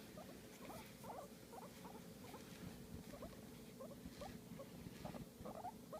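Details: Pet guinea pig vocalising while being massaged: faint, quick upward squeaks in loose clusters, steady low background hum and a few soft rustles.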